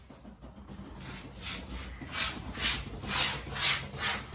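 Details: Rhythmic rubbing or scraping noises repeat about twice a second, with no animal voice heard. A faint steady high hiss runs underneath.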